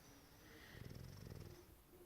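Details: An English Bulldog naps loudly in an office at home in Prosper, Texas, snoring a deep, rattling, fluttering rumble that swells and fades over about a second.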